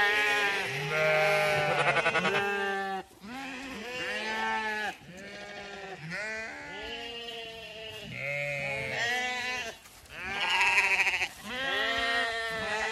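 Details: Zwartbles ewes on a regenerative farm in County Kilkenny, Ireland, leaving the long acre field just before sunrise on a Sunday morning, without being called. Many overlapping, wavering bleats in a continuous chorus, some deep and some higher.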